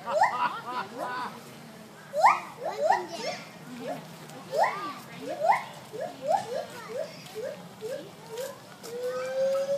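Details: Gibbons at a zoo in Sacramento sing a series of loud, rising whooping notes that sweep upward and repeat in quick bursts.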